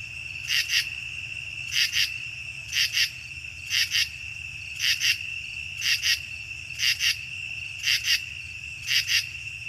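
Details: Common true katydid, Chicago region, mainly nocturnal, giving harsh, buzzy rasps in short clusters, repeated about once a second.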